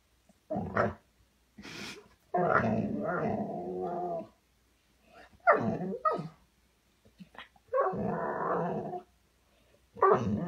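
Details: Golden retriever giving a run of throaty, grumbling growl-moans in uneven bursts, some short and some drawn out for up to two seconds, with brief silent gaps between, about six outbursts in all.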